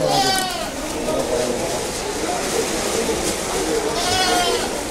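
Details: Goats for sale at the Deonar goat market during the 2022 Eid trade, with a bleat near the start and another near the end over crowd chatter and men talking nearby.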